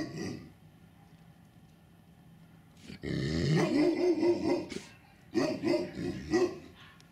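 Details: Tibetan Mastiff at a registered kennel in winter 2019; close, loud, deep harmonic growling barks come in two rough bursts, one lasting nearly two seconds and a shorter second one, with quiet gaps before and between.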